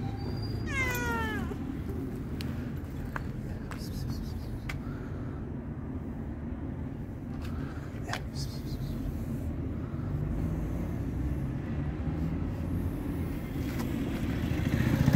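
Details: A very hungry, friendly tabby cat lets out a single drawn-out meow that wavers and falls, asking for food, then only a low, constant rumble and a few scattered clicks and knocks remain.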